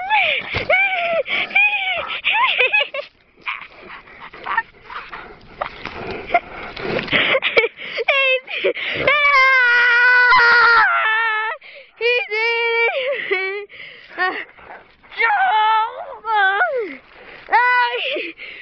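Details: Newfoundland dog named Clyde mouthing and playfully 'eating' his owner indoors: high, wavering whines and yelping whimpers in uneven bursts, some sliding up and down, mixed with people talking and laughing close by.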